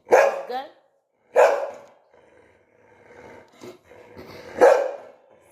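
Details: Pet Labrador Retriever barking in three loud bursts near 0.1, 1.4 and 4.6 seconds, the first two with a short second yelp, while a person speaks softly between them and gives a sit command.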